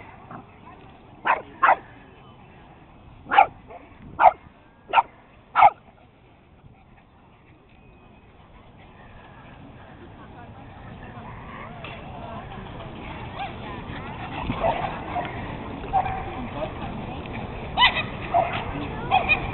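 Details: Playful chase among a small pack of pet dogs, beagles, Boston terrier, Jack Russell, chihuahua and puggle; half a dozen quick high barks early on, then a rising muddle of movement and faint voices with scattered yips.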